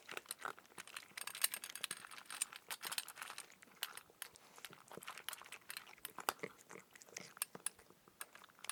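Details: Cat eating dry food indoors: rapid, irregular dry crunches and clicks, broadband and crisp, several bites per second for the whole stretch, with soft chewing between them in a quiet small room.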